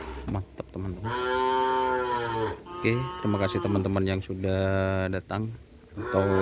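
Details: Kerapan racing-bull breeding stock of Madura cattle, from Sapudi Island, lowing at a homestead: several deep, sustained moos broken by short pauses, with some voices mixed in.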